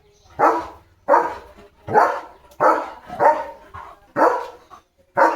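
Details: Leo, a German Shepherd dog playing with a balloon, barks in loud, broad bursts about once every second, seven barks with short gaps of quiet between them.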